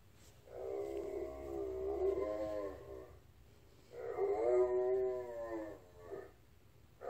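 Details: Female Blue Bay Shepherd answering a request to sing with two rough, wavering howls of about two seconds each, separated by a short pause.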